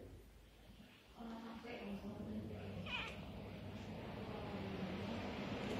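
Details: A Siamese cat playing fast with a doormat gives a brief, rising-and-falling meow over a steady low hum and faint voices.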